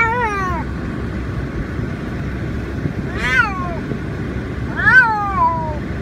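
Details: A female Siamese cat on her way to the vet gives loud, drawn-out wails that fall in pitch, protesting at being shut in her carry bag.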